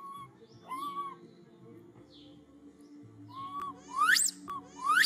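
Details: Martin, a monkey, whistles loudly and urgently for his granny after losing her for a few minutes: short, clear tonal calls that arch or sweep sharply upward, several in a row, over steady low background hum.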